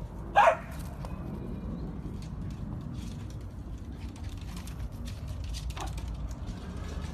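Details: Dachshund, a sausage dog, lets out one short, sharp bark right at the start, then a faint softer yelp near six seconds, over a steady low background rumble.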